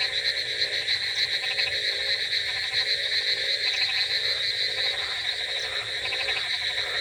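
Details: Frogs croaking through a rainy night, a busy mix of ratcheting pulsed calls in uneven bursts, backed by an unbroken high-pitched whine.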